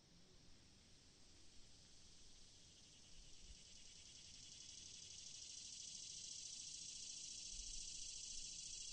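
Cicadas fill the air with a steady, high, hissing drone that swells louder toward the end.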